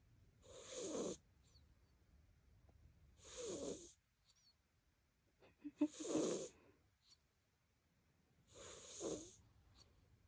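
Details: Four raspy snores from the sleeping cat Koban, roughly every two and a half to three seconds, breathy and gurgling, one broken by brief clicking snorts; otherwise a hushed indoor setting.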